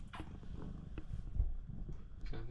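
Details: Loud purring from Shamue the Siamese cat, meant to stop a bath; a deep continuous throbbing rumble with a few soft clicks and a brief higher rustle.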